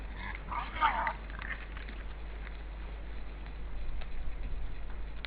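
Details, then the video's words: Wild boar family at a feeding place, caught by a forest camera in Estonia on 16 December 2012 at 16:03, two animals calling to each other: a brief harmonic squeal under a second long opens, then low rustling and muffled shuffling follow. "Wild boar family is on the feeding place and 2 of them had a good conversation"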